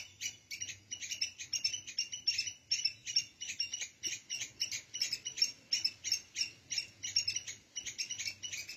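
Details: Continuous squirrel squeaks, heard as red ants carry food and eggs out of their nest. Bright, high, chippy notes come in quick clusters, roughly three per second, for the whole stretch with little else audible.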